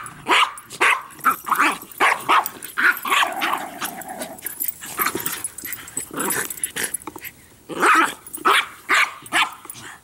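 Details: Three dogs, Bix, Banjo and Button, playing with a Jolly Ball, trade sharp barks and rough growls in rapid, uneven bursts through ten seconds, often overlapping, with barely a pause between outbursts.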